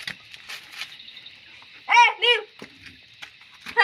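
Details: German Shepherd puppy during a training session, giving two quick, loud, harmonic barks with a rising-falling shape. A steady musical tone hums in the background, and bursts of Malayalam speech come before and after.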